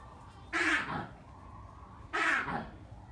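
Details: Black crested mangabey at a zoo, screaming nonstop and loud enough to carry around the zoo: two harsh, hoarse screams about a second and a half apart over a steady background hum.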